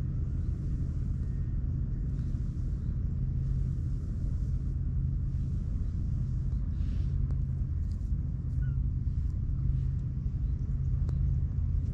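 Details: Steady low engine rumble of a passing vehicle dominates a beach setting, with faint clicks and no animal voice.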